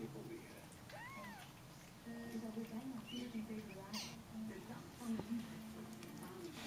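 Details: Two-day-old Snow Bengal kittens rest in a cosy, warm den while their mother takes a short walk. A single clear, arched mew rises and falls early on. Soft human voices and low rustling continue underneath.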